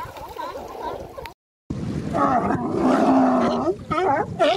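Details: Sea lion males at the Monterey Coast Guard pier, setting up mating territories in April or May; drawn-out, groaning roars and wavering harmonic calls, a short silent gap, then quicker barks.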